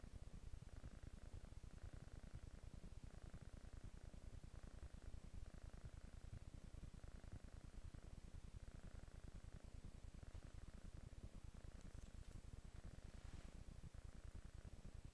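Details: Relaxed kitten on a couch gives a continuous low purr, rapid pulses rolling evenly in a soft rumbling drone, with gentle breathy noise above and a quiet rustle near the end.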